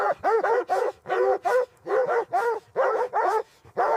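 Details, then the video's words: Puppies and their mother dog playing happily in fresh white snow; rapid series of harmonic barks and yips, about a dozen in four seconds, loud and uneven. "Beautiful puppies playing with mother dog on snowy ground – Dog barking sounds"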